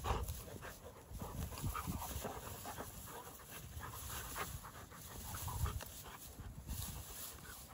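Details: Outdoor play between two Dogo Argentino dogs, heard as soft, hurried panting puffs rising and falling in loudness amid low-pitched wind or movement noise.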